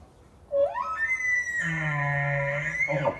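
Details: Bull elk in Yellowstone National Park calling during the September rut: a low note rising steeply into a sustained high whistle that turns into a loud, raspy scream over a deep rumble, ending in a brief falling squeal.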